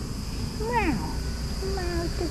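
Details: Domestic cat named Tuxie, rubbing against its owner; a short bending meow with rising then falling harmonics, followed by a softer drawn-out second meow, over steady low background hum and a faint high tone.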